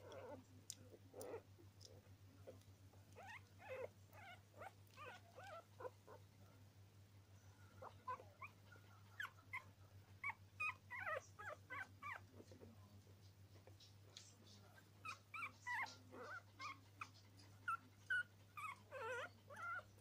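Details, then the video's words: Norwich Terrier puppies giving many short, high whimpering squeaks and soft yelps, irregular and overlapping, several pups calling at once over a steady low hum. "Puppies 2 norwich terrier"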